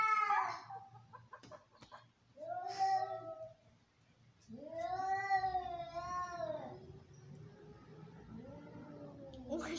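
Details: Fighting domestic cats trade angry cries: a sharp shriek, a wavering yowl, then a long undulating caterwaul that swells and fades, ending in another rising scream, with faint low hum behind.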